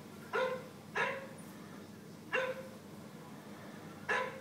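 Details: Indoor cocker spaniel reacting to a dog on an iPad screen, giving four sharp barks spaced roughly a second apart, each with a brief falling tail, over a steady low background hum.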